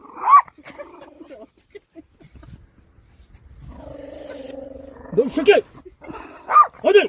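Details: A puppy standing guard over a child at a farm barks sharply once, falls quiet under a low steady hum and voices, then lets out a quick cluster of several more barks.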